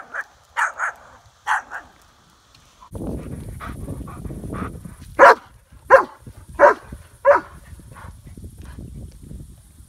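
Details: German Shepherd named Odin barking at a lake while fishing; a few early barks, then a rhythmic series of sharp barks roughly every half second over a rushing outdoor background.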